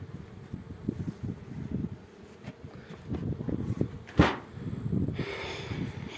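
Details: Honey bees at an apiary while hive frames are inspected: a low, continuous humming buzz of many bees throughout, broken by knocks and handling noises, with one sharp click midway.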